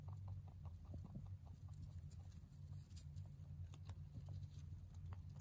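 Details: Pet mini rabbit, a young male, munching hay; quick dry crunches follow each other closely, a little denser near the start, with a steady low background hum.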